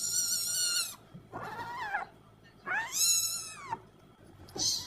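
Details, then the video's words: Cat calling repeatedly with drawn-out, wavering meows, four in about five seconds: a long steady cry, a lower arched whine, a strong rising-falling meow, and a brief final squeak. "Funny Cat Sounds"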